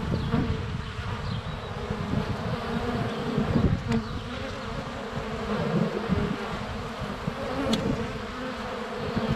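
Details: Honey bees circling a hive entrance on a sunny February day, GoPro less than a foot away; rich buzzing drone swelling and fading as bees pass, brief clicks of bees landing on the camera, faint birds.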